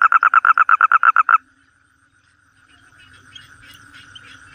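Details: Toad giving a fast series of about eleven loud, even pulsed notes over roughly 1.4 seconds, then silence followed by fainter, distant trilling calls in the background.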